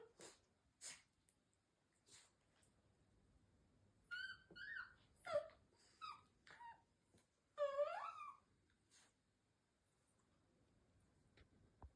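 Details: Shiba Inu female, the first born of the litter and fond of talking with her mother, gives a cluster of wavering, whiny yelps and a longer bending moan after quiet breathing-like sounds indoors.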